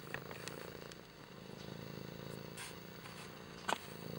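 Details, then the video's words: Kimba the cat purring in a close, buzzy low rumble with a steady pulse, broken by a brief sharp click near the end. "Purry Kimba"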